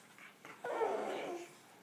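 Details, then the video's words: Ten-week-old Olde English Bulldogge puppies playing indoors in a pen over a welping pad; one puppy gives a short whimpering, whining cry lasting under a second, preceded by faint softer squeaks, in a quiet room. "10 week puppies playing"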